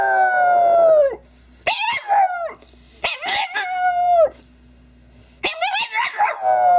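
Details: Crying French bulldog giving long, high whining cries that bend downward at the end, followed by choppy yelping bursts, a brief pause, then more wavering cries.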